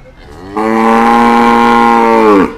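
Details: Cattle at Pasar Sapi Kliwonan (Ngadiluwe), a livestock market in Kediri, East Java, Indonesia: one loud, steady, richly harmonic moo lasting about two seconds, held level and dropping slightly at the very end, after a quiet start.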